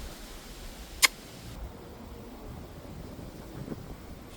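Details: Quiet indoor background hiss with one sharp click near the start and faint rustling, no animal voice.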